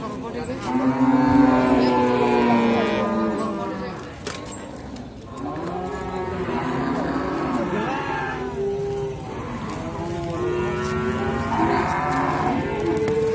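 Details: Simmental calves at the Sukorejo animal market in Kendal, Indonesia, lowing in overlapping, harmonic-rich moos with long bends and drawn-out notes among many cattle, with market chatter and background noise.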